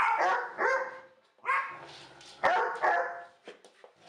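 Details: Harsh, full-throated barks from a dog, about five in four seconds, some doubled, fading to quiet at the end.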